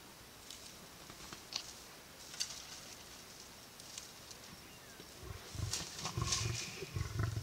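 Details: Big male lion feeding on a buffalo kill, keeping lionesses off it with warning growls; scattered clicks and rustles, then deep rumbling growls in rapid bursts over the last two seconds.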